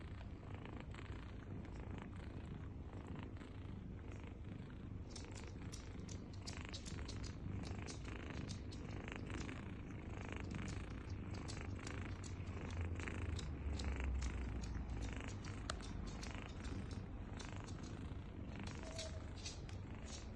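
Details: Mother cat with nursing kittens: continuous deep purr that swells louder midway, with rapid irregular clicking and smacking from suckling, roughly 160 small clicks per minute, in a quiet indoor setting.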